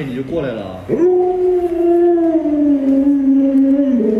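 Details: Luoluo, a pet Alaskan Malamute reacting to its owner wearing a mask, lets out one long, clear howl after a short yelp, held for about three seconds and slowly sliding lower in pitch before a final upturn.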